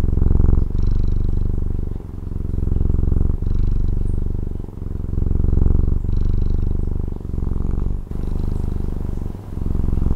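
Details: Close purring of a domestic cat from Taiwan: a thick, low, pulsing hum in repeated swells of one to two seconds, each ending in a quick soft gap at the breath change.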